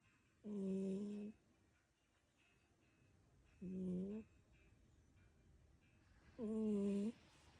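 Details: Kiki, a pet brown tabby cat, snoring suddenly while asleep: three drawn-out harmonic snores, each lasting about a second and separated by roughly two to three seconds of quiet breathing, in a small indoor room.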